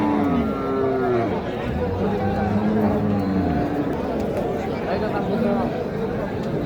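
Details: Cattle at the Kaharol livestock market in Dinajpur, Bangladesh, held on Saturdays, where beef cattle are traded; several long low moos with stacked harmonics sound over steady crowd chatter and bargaining voices.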